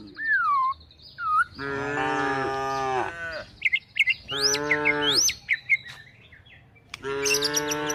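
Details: Tame cows and calves herded toward a forest while looking for food: three drawn-out, low, harmonic moos about a second long each, with bright chirping birdsong between and over them.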